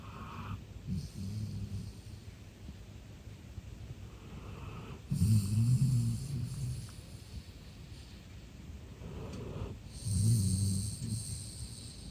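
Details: Male golden retriever Eve, born 13 October 2021, sleeping deeply and relaxed indoors, gives deep, rumbling, low snores in slow bursts about every five seconds, each lasting over a second, with quieter breathing in between.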